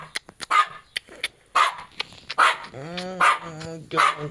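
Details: Jack Russell Terrier Treisy, kept with Azzuro, gives a rapid string of short, snappy yaps and barks, about eight in four seconds, while a person talks in Latvian partway through.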